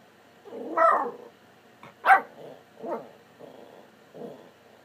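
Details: Domestic dog talking during a chat with its owner: a series of five or six short, varied yelps and moaning grumbles spaced about half a second to a second apart, with the loudest sharp yelp near the middle.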